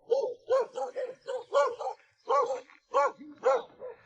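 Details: Several domestic dogs, five or six, at the remote Guizhou mountain home of an 87-year-old man who lives alone, bark at a visitor: about ten sharp, evenly spaced barks in quick succession, with the visitor's speech in between.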